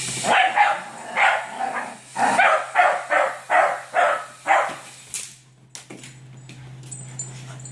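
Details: Scottish Terriers going after a toy, giving a quick run of about nine sharp, excited yapping barks in close succession, then falling quiet with faint scuffling at the end.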